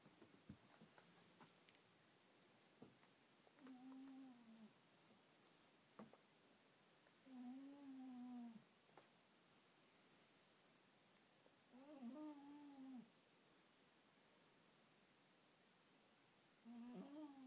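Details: A sleeping Schipperke gives soft, tonal moaning whines, each about a second long, every few seconds; the owner is unsure whether he is snoring or dreaming.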